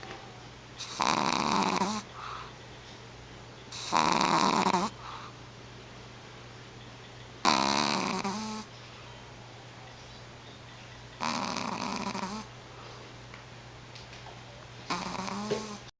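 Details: Chewy, a four-and-a-half-month-old Shih Tzu puppy, snoring while asleep indoors: five breathy, rasping snores, each about a second long and spaced roughly three to four seconds apart, with a steady low hum behind.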